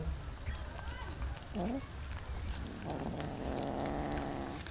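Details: Cats feeding on raw fish give a brief rising low cry, then a sustained rough, droning vocalization lasting over a second, with chewing clicks and background hum throughout.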